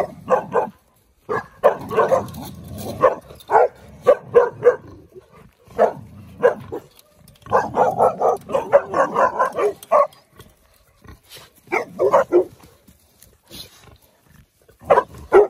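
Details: Cane Corso pups aged sixteen weeks barking at pigs whose aggressive posture set off the litter and their mother; repeated volleys of short, harsh barks and yelps, overlapping dogs, breaking off into short gaps before resuming.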